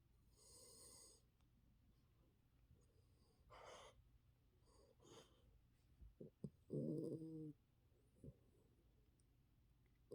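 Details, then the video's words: A tired poodle snoring, with soft breathy noisy bursts spaced a few seconds apart, some brief sharper snorts, and one louder rasping breath near the seventh second over a faint steady hum. "피곤한 강아지"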